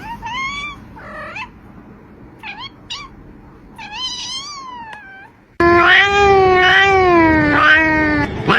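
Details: Cat compilation: several short, chirpy rising meows and quick mews in quick succession, then a cut to a louder, drawn-out wavering cry lasting about three seconds.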